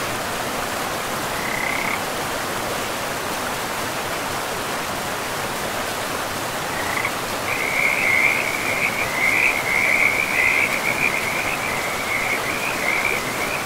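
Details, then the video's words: Forest river with frogs: one short trill early, then after a pause a long run of quick, rattling high-pitched trills layered over the continuous hiss of moving water. "River and Frogs sleep sounds"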